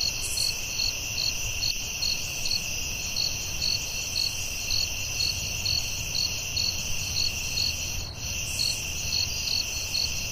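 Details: At night in woodland, crickets keep up a ceaseless high ringing while brighter chirps pulse about 136 times a minute; a short faint click interrupts near the end, over a low rumble.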